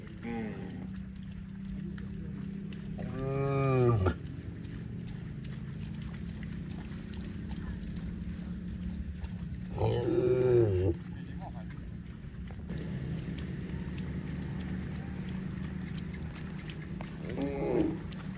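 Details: Cows in the fields give loud, harmonic moos, one near three seconds and another near ten, each about a second long, plus a quieter call near the end, over constant low rumble and some background noise.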